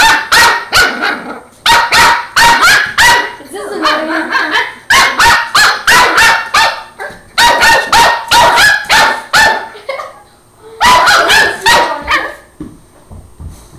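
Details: Angus, a Border Terrier puppy, barks at a broom inside the house, sharp high barks in quick runs of four to six, with brief pauses between bursts.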